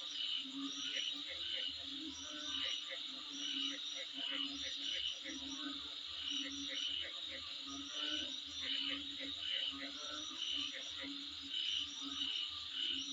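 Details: Insects calling in front of a home: a dense, steady high-pitched hiss with bright whistled pulses repeating rapidly, a quieter hum beneath and regular soft low throbbing throughout.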